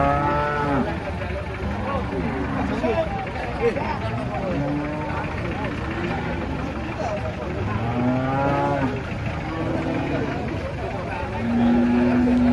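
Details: Big cattle stepping down from a truck give a series of short, bent, low moos again and again over a constant murmur of people and vehicle noise, with a longer steady call near the end.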